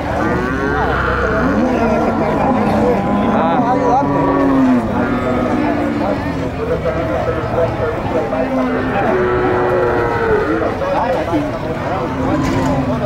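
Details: Gyr cattle, cows on a farm at El Tiangue, El Salvador, lowing loudly and continuously; several overlapping harmonic moos, some rising then falling, follow one another through the recording, with a man's voice faintly in the background.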